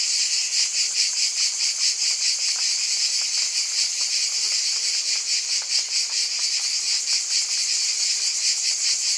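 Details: Dense cicada buzzing, a high-pitched wall of sound that pulses rapidly, about two beats a second, with a faint lower tone passing midway. The level stays steady throughout.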